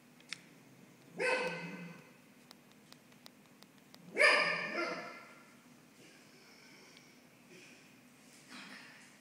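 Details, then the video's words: Cavalier King Charles Spaniel named Coco, a female puppy, barking at home during renovation work; two sharp, harsh barks about three seconds apart, then a fainter third yelp near the end, with light clicks and knocks between. "Coco Barking"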